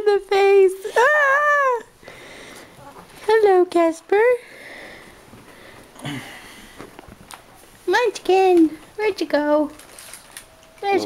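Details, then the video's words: Whining dog wanting to be picked up, giving bursts of high, wavering, rising-then-falling whines and short yelps in clusters, separated by quieter stretches with a person murmuring and a few sniffs. "i want up too"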